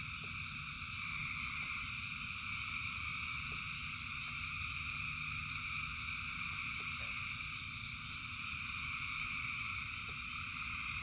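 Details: Frogs calling en masse during rain, their massed high-pitched trills merging into a constant shimmering drone, while rain hisses and rumbles beneath and individual drops click now and then.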